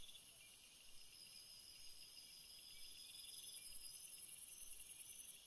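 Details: Several crickets trill together at night, high-pitched and continuous, with one very high pulsing voice joining partway through and the chorus swelling.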